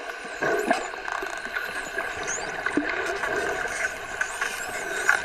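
A dolphin underwater gives high, sweeping whistles among sharp clicks over a steady watery hiss.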